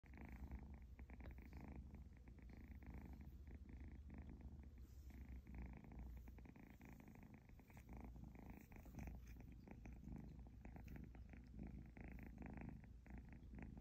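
An Egyptian Mau kitten purrs steadily, a low continuous rumble with a soft rhythmic pulse.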